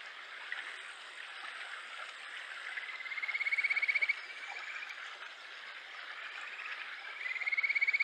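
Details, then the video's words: A Kajika frog (Japanese stream frog, Buergeria buergeri) in Japan in July gives sweet, rapidly pulsed trills that rise slightly, over a rushing stream. "カジカガエル 鳴き声 7月"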